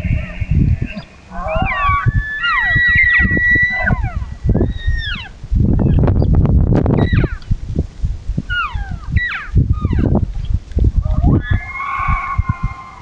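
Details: Elk in a herd at dusk: repeated high whistles sweeping downward, overlapping from more than one animal, over dense low grunting and chuckling pulses throughout.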